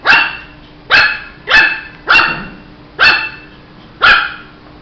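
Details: Shih Tzu puppy barking: six sharp, high barks with bright harmonics, spaced under a second apart, each starting abruptly and fading quickly, over a faint steady hum.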